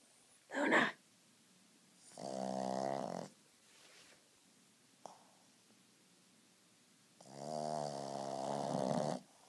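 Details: Luna, a napping Frenchton dog, snores loudly indoors: two long, harsh, buzzy snores about five seconds apart, each lasting over a second, with a short sharp sound and quiet breathing between them.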